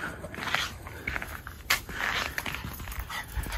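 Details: Miniature Schnauzer brothers Lucky and Levi, out for a quick run in 14-degree-F cold on December 12, 2022, after three weeks indoors; rapid breathy panting bursts repeat irregularly, with soft footfalls in snow and a person calling the dogs inside.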